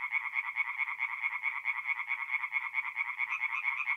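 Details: Singing tree frogs at night, a forest pond in north-east Italy in mid-April: regular, rapid bursts of nasal croaking about twice a second, several frogs overlapping in a continuous chorus.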